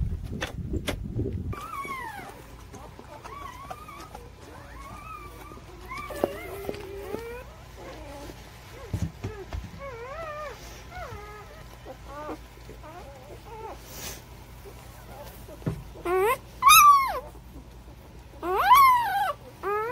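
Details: Newborn puppies, from birth to three weeks old, whimpering in thin, high whines that bend up and down in scattered bursts, with a few sharper, louder squeals near the end over a faint steady hum.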